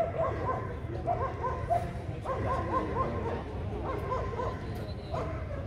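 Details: German Shepherd males, 18 to 24 months old, competing at a Vietnamese dog show on 5 January 2020; bursts of rapid, sharp barking in clusters, with a steady low hum of crowd noise behind.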